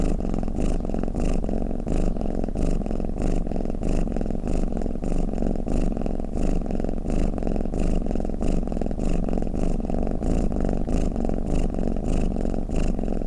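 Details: Purring, snoring house cat: a dense, low, throbbing drone that pulses rapidly and evenly throughout, steady in loudness, with nothing else clearly heard.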